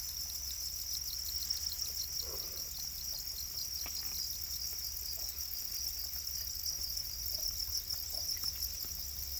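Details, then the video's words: Domesticated black crickets, also called Para crickets, kept in captivity: a dense, shrill, high-pitched chirping holds steady throughout, with fast pulsing and faint scattered clicks and rustles underneath. "Para crickets, also known as black crickets, are domesticated crickets"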